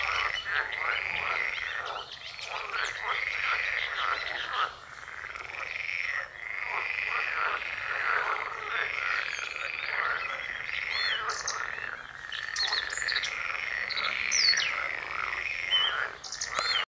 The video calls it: Teichfrosch konzert am morgen/edible frog concert morning